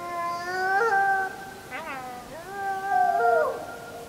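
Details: Wolves howling at full moon on 31 July 2015, filmed on a JVC Everio GZ EX215 HD camcorder; several overlapping smooth tonal voices hold long notes, bend and break upward and downward, two loud swells with a brief yip-like break between.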